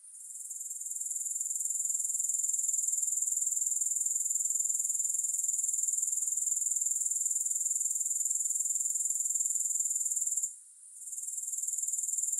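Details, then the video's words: Continuous high-pitched grasshopper chirring, with no music, builds up at the start and holds a fast, even pulse of about four beats per second. There is a short silent break near the end. "Grass Hopper Sounds"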